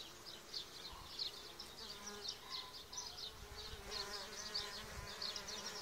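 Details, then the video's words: Solitary bees, gentle spring pollinators of orchards and gardens, make a clear, busy buzzing, with many high whining pulses overlapping at an uneven pace and occasional lower droning tones from bees passing nearby; little background noise. "Solitary bees"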